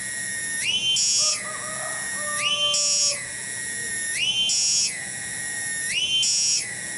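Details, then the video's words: Loud cicada song recorded in a kampung garden in Cibening village, Bungursari, Indonesia. The insistent metallic buzz rises and falls in regular waves about every two seconds. A fainter lower tone sounds briefly in the background early on. "SORA TONGGERET DI KEBON"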